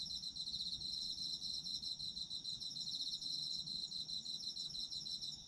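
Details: Chorus of autumn insects, high-pitched rapid pulsed trills running continuously without a break, several callers layered together over a faint low background hum.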